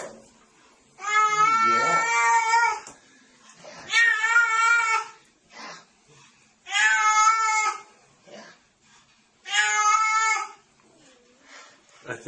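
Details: Domestic cat in a box giving four long, drawn-out harmonic meows, each about one to two seconds, spaced roughly every three seconds, with a person speaking softly nearby.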